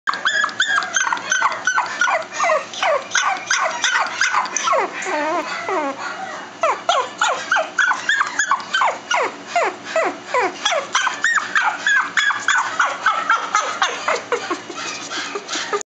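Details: Chihuahua barking rapidly and continuously, sharp high yaps several per second in dense runs, some with falling whiny tails, loud throughout.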